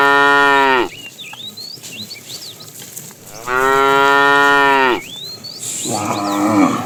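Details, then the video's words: Afternoon herding of tame cows, with a fat one calling the female: two strong, rich moos, each around one to one and a half seconds, separated by birds' chirps, followed by a rougher, noisier lowing. "The funny sound of a fat cow calling the female"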